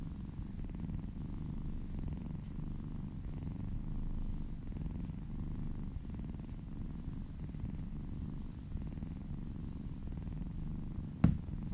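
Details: Relaxed cat purring while massaged, a steady deep rumble pulsing with its breaths, soft rustle of stroking overhead and a sharp click near the end.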